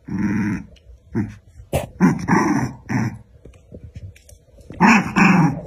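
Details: Two dogs, one black and one white, fighting: rough, throaty growls and snarls in bursts about once a second, with sharp snapping barks mixed in and brief gaps between the outbursts.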